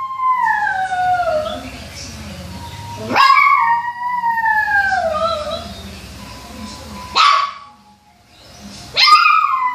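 A Toy Poodle howls in long, high, wavering notes that slide downward, with short breaths between.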